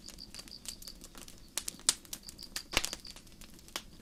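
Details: Crickets chirping at night in a starry forest: a high, thin pulse repeats steadily in quick succession, over the soft hiss and sharp, irregular crackles and pops of a campfire.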